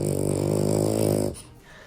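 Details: French Bulldog snoring, a sign of breathing difficulty caused by brachycephalic airway syndrome with narrow nostrils, malformed larynx and overly long palate; a steady low rasping drone with dense harmonics lasting over a second, then cutting off.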